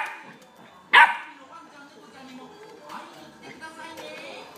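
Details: A male sable-and-white Welsh Corgi puppy, born March 27, 2016, at a pet shop, gives a single sharp, high yip, with faint voices murmuring behind it.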